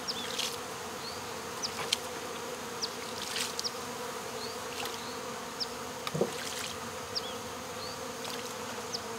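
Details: Removal of a honey bee swarm from local baseball fields, with bees fanning at the box entrance after the queen is placed inside; even, unbroken hum with harmonics, occasional sharp clicks and faint rising chirps above.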